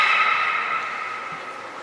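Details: Steady, pure, bell-like harmonic tone from captive belugas (Gray, Nana, Mirai) being trained at Port of Nagoya Public Aquarium, 10 February 2024, slowly fading over two seconds with no other clear sounds.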